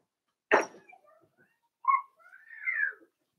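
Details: A Cavalier King Charles Spaniel puppy, four weeks old, in Daisy's pen: after a sharp knock, a brief cry, then a long drawn whine that climbs and falls away.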